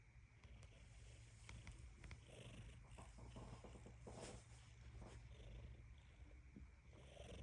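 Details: Cat's continuous low purr, an even pulsing rumble held without a break for the full length, with scattered soft clicks and light rustles over the top.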